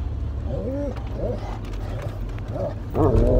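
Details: Great Pyrenees, excited during a rainy-day walk at the Harvest Walk shopping mall in Oyama, after a car ride. It gives several short, rising, nasal whines and squeals, with a low rumble of background noise throughout.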